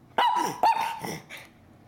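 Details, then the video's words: Pet Miniature Schnauzer indoors 'talking' to its owner: two sharp, strained yowling barks in quick succession, each sliding down into a drawn-out grumbling moan, then a fainter trailing whine. "Miniature Schnauzer Talking to me"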